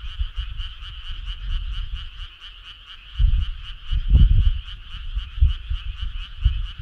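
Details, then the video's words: Frogs on a summer night give a steady trilling chorus made of quick regular pulses, each a bright twin-pitched croak. Low rumbling bursts rise in the second half. "Cool frog sound"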